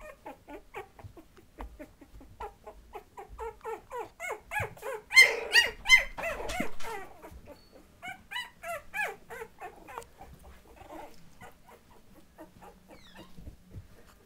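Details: Litter of Patterdale Terrier puppies at two and a half weeks old, playing and becoming aware of their surroundings. Rapid squeaky yips repeat in quick bursts, swelling to a loud, dense cluster midway, then thinning to sparse squeaks.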